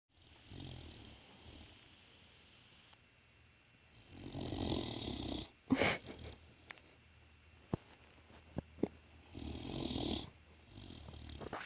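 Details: A male Great Dane, sound asleep, snores in slow, rasping breaths, each a broad rumbling surge followed by a pause.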